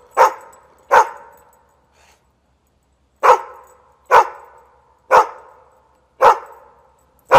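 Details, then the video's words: A dog gives loud abrupt barks, two in quick succession, then a pause of about two seconds, then five more barks roughly one second apart, each a short harmonic burst fading quickly. "Dog sounds | Top 7 dogs barking video | Sounds of dogs barking and howling"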